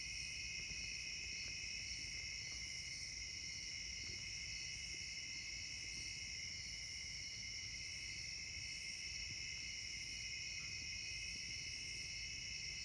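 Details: Insects in summer: a continuous dense chorus of high, steady shrill trilling in several bands, unbroken throughout, with faint low background rumble.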